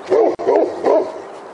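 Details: Great Pyrenees outside a house, holding a black bear up a tree after a commotion by a trash barrel. It gives three loud, deep baying barks in quick succession.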